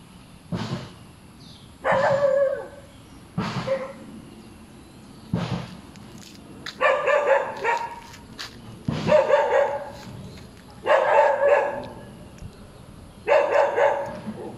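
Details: Noisy, hyperactive dog that keeps on barking, giving loud, rough barks every one to two seconds, some in close pairs, over steady low background noise.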